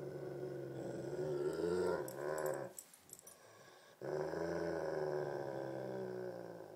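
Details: During a tug of war between a Great Pyrenees and a Tibetan Mastiff, Thumper and Baby Huey, a long throaty growl drones on, breaks off for about a second amid scuffling, then rumbles on steadily.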